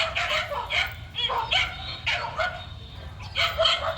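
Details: Running male dog, Hiên, lets out short high yips in uneven bursts of two or three, each with a quick upward-bending pitch, after a person calls it to come back.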